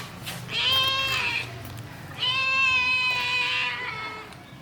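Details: Baby kitten in a village, giving two drawn-out, high, harmonic-rich meows, the first short and the second long and steady, with a faint low hum beneath.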